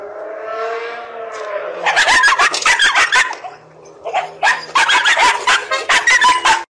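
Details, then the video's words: A dog barking at the gate gives a drawn-out whine, then a fast, uneven run of sharp, loud barks. "Dog Barks At The Gate"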